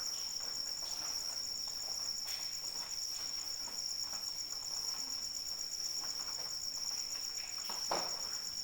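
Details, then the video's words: High, sustained cricket trill with rapid even pulses, heard through steady rainfall with occasional sharper drips. "Suara Hujan dan Jangkrik Pengantar Tidur"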